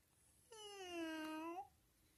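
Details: Friendly, playful cat indoors uttering one clear, sustained meow about a second long, steady then rising slightly at the end, in a quiet small room.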